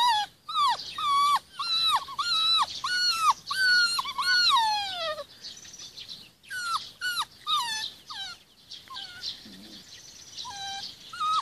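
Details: Forty-six-day-old Rhodesian Ridgeback pups out in the garden with their mum: repeated high whimpers rising then dropping, strung closely together, then sparser cries with birds chirping faintly behind.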